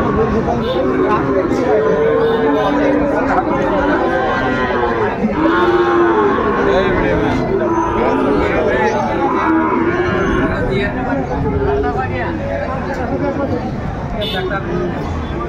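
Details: Sahiwal bull calves at Ambari cattle market in Dinajpur, Bangladesh, on 28 March 2025 as trading begins; repeated drawn-out, rising-and-falling moos over steady crowd chatter and bargaining voices.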